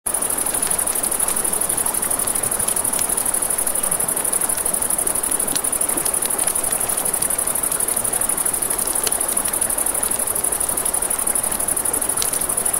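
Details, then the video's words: Crickets at night beside a river near a campfire: a steady, very high, shrill trill runs unbroken through the whole stretch, over rushing river water and sharp snaps and pops of crackling flames. "Campfire by the River at Night Ambience | 1 Hour of Crackling Fire, Crickets, Ambient Nature Sounds"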